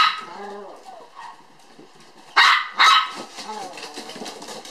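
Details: Toy poodle puppy sisters born July 9 playing energetically at an Ōtsu breeder in Japan: faint whining squeaks, then two loud, sharp, high barks close together, with human voices in the background.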